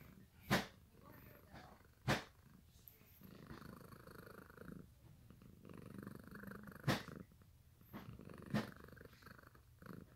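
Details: A low, rhythmic purr comes from Sakura the cat as she sleeps on freshly washed bed sheets she stole, broken by four sharp loud clicks or knocks spaced a few seconds apart.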